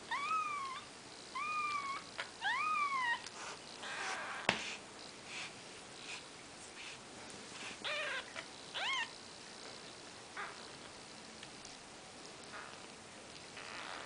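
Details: Maine Coon kittens on their fourth day of life, Nikita's litter, giving thin high mews in quick short bursts at the start, then a couple of scattered cries over quiet room noise and faint rustling.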